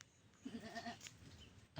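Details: Goat crying for its playmate, a playful kid: a short run of quavering, wavering bleats, then a brief noisy burst, with people laughing nearby.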